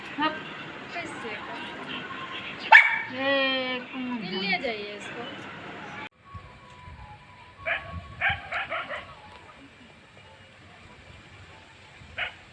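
A Labrador gives a quick run of sharp barks, with a person talking over the opening.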